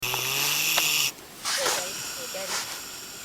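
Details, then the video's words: Pig snoring loudly on a New Zealand farm: a harsh, broad rasping breath for about a second, followed by a quieter gap and human voices talking. "Snoring Pig"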